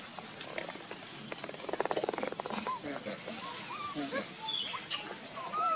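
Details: In the early morning in Angkor Wat Park, Cambodia, an old monkey gives short rising squeaks and rapid pulsed chattering, calling its troop to climb down the tree, over a steady insect hum and faint high whistles.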